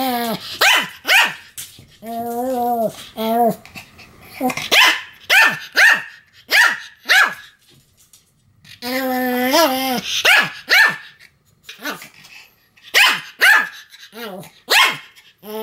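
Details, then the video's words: Sam the Pomeranian in a bout of continuous barking: quick high-pitched barks, roughly two a second, interrupted by drawn-out whiny yelps with wavering pitch. "犬の鳴き声 ポメラニアン サムの連続吠え"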